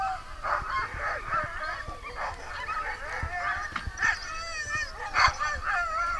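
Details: Sled dogs at Muddy Paw Sled Dog Kennel in New Hampshire's White Mountains at night, many voices overlapping in excited yelps, whines and wavering howl-like cries, with sharper yips standing out near the end.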